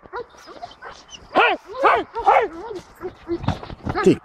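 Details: Barking bursts from Jano od Argalasov, an eight-month-old Belgian Malinois, in defence training, 2 May 2014: three strong, harsh barks close together in the middle, with male voices and handler chatter around them.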